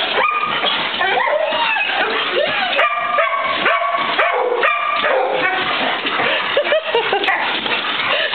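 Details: Four dogs, Golden Retrievers Maxie and Maya, Australian Shepherd Fidget and mutt Corduroy, greet their owner home after a week away; high excited whines and yips overlap continuously, with a person talking among them.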